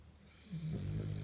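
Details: A French bulldog snoring: after a quiet start, a low, rough, droning snore sets in about halfway through and holds steady to the end, deep and buzzy with a faint higher hiss above it.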